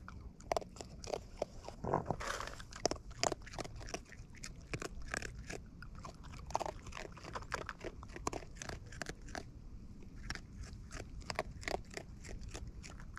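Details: Raccoons in the wild feeding at close range, crunching food steadily: sharp crackling bites and smacking chews come in quick irregular clusters throughout, set against a soft natural background.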